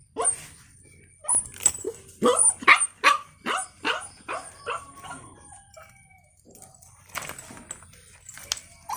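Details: A puppy yaps in quick, bright, high-pitched barks for the first five seconds, then goes quiet; softer scattered yelps and rustling noise follow near the end over a constant thin high tone.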